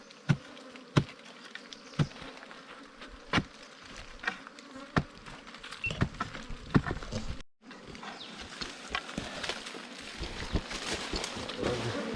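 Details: Wild bees at a nest during a honey hunt: a steady low droning hum runs throughout, broken by sharp knocking and tapping sounds from digging, with a brief gap midway and busier rustling toward the end.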